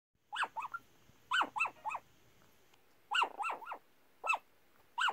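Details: Yorkshire Terrier mix barking in its sleep, a string of short muffled yips in clusters of two or three, each sharply pitched and falling, with brief pauses between bursts; a quiet room otherwise.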